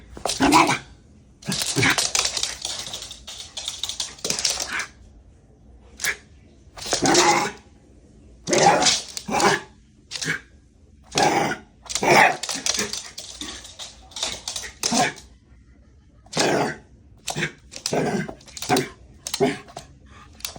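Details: Shiba Inu named Haru, worked up and going wild indoors: bursts of harsh, broadband huffing barks and snorts in irregular clusters roughly every one to two seconds, with scuffling and clicking noises between them.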